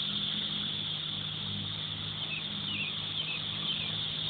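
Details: Cicada. A dense chorus of cicadas fills the air with a continuous, shrill, high buzz that holds level throughout. A faint low hum, perhaps a distant engine, runs underneath.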